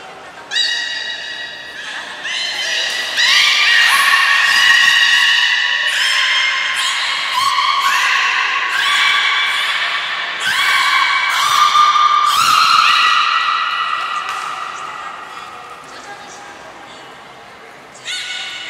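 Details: During training at Port of Nagoya Public Aquarium on 11 July 2020, the belugas Taanya, Nana, Mirai and Niko give a dense run of overlapping harmonic squeals, rich tonal notes starting and stopping roughly every second, some stepping up in pitch.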